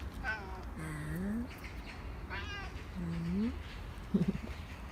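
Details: Korean shorthair cat Nacho, already given one churu and begging for more treats as the owner comes home from work: several drawn-out meows, some rising and some falling, then a short broken chirrup near the end, over low household rumble.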